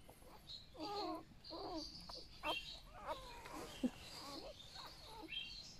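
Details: Newborn golden retriever puppies from a litter of eight, born overnight, being held indoors: thin, wavering whines and squeaks come in clusters, with brief pauses between them and a faint sharp click partway through.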